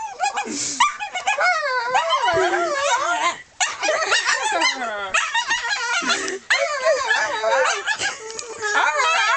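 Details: Molly the dog produces her weirdest noise, a near-continuous string of warbling, moaning whines that swoop up and down, with a couple of sliding low dips and one short gap.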